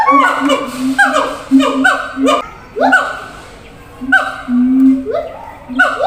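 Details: Zoo siamangs calling across cages to communicate over distance; loud swooping whoops that rise then fall sharply, repeated about every second, over a steady low booming tone with short pauses between bursts.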